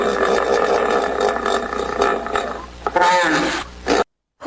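A hippopotamus gives a run of rough, pulsing grunts for nearly three seconds, followed by a short, breathy honk before the sound cuts off.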